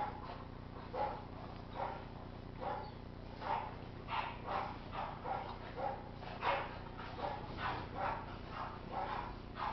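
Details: French Bulldog giving short, muffled barks in a steady series, roughly one or two each second across the whole stretch, with a low background hum underneath.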